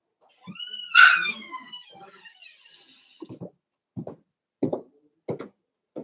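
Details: Indoors in a home puppy pen, Cavalier King Charles Spaniel puppies at play: one loud, high whining yelp that rises and then trails off, followed by a steady series of short, gruff yips about every half second.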